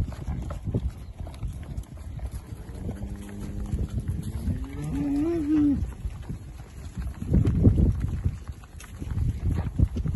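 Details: Holstein Friesian milking cows from a spring and summer calved UK dairy herd, grazed and fed silage; one long, low, steady moo rising slightly at its end, over a constant barn hum and shuffling noise.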